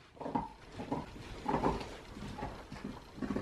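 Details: Play-wrestling husky, rough-looking but friendly, giving low grumbling growl-moans in short pulses roughly every half second, with a few louder, stretched grumbles midway; the sound is close and indoors.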